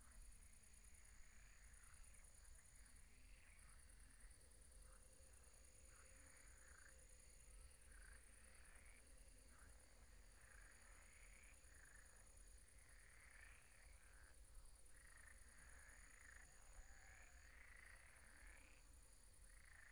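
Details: Night pond with a chorus of croaking frogs: bursts of rough, overlapping croaks come in uneven clusters every few seconds over a low hum and a constant high-pitched ringing.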